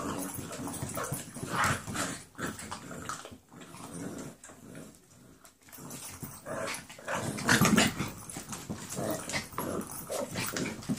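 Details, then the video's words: Playing 11-week-old foster puppies Brindy and Lady growl and grumble in rough bursts, pause briefly in the middle, then resume with louder snarly growls and small yelps among scuffling noises. "Brindy and Lady playing. 11 week old foster puppies"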